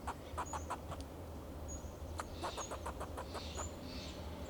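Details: Alarm calling from a fox squirrel perched on a Monterey pine in Del Monte Forest, California, guarding itself and its territory: a quick series of sharp, rasping clucks in short runs over a low background drone, with brief high whistles.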